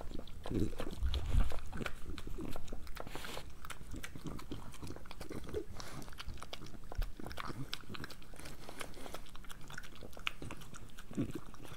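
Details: Breakfast for Moolah, a pregnant French Bulldog: steady rapid crunching and chewing, about four bites a second, with a louder burst near the start, close up indoors.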